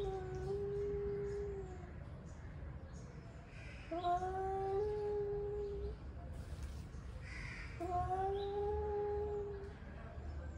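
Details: Angry male cats warming up before a fight give drawn-out, wavering yowls, three long howls of about two seconds each, rising slightly then sagging, separated by pauses, over a low steady background hum.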